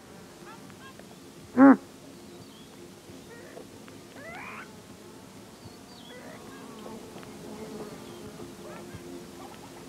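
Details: A male Grant's gazelle gives one short, loud alarm snort, a nasal, harmonic burst about a quarter-second long. Faint bird song and alarm calls continue in the background.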